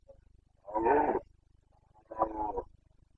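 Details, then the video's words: Carpathian red deer stag in Bucovina during the breeding season, 29 September 2022, giving its boncănit rut roar: two harsh, throaty bellows about a second apart, the first longer and louder, over a faint steady low hum. "Boncănit / Carpathian stag Breeding season"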